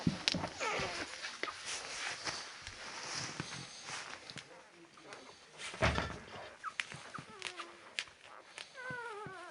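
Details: Ten-day-old Labrador Retriever puppies indoors giving thin, rising harmonic whines, clustered toward the end in a quick series of upward-sweeping squeaks, amid rustling, soft knocks and some human voices.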